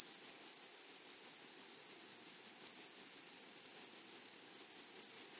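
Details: Grasshoppers in a flowery meadow or prairie give a steady, high, shimmering trill made of rapid pulses with an upper overtone. The buzzing runs unbroken through the whole stretch, with only faint low background hiss.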